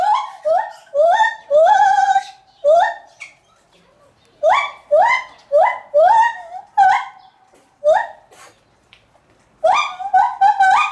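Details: Lar gibbon calling at Maruyama Zoo, Sapporo, Japan, on 11 July 2020: a long series of loud whooping notes, each stepping up in pitch, coming in quick bursts of two to four with short silent gaps between groups.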